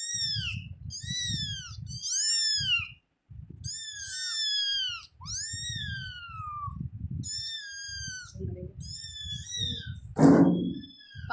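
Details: Pet kitten at home giving rapid runs of bright, downward-arching mews, often two or three close together, for about ten seconds. A low rumbling background runs throughout, and a brief thump comes near the end.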